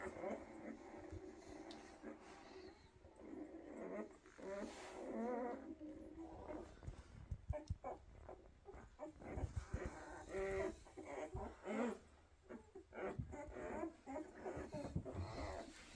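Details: Litter of Weimaraner puppies born in 2023, kept indoors: soft wavering whines and murmuring grunts rise and fall, broken by rustling and thumps of the pups moving about.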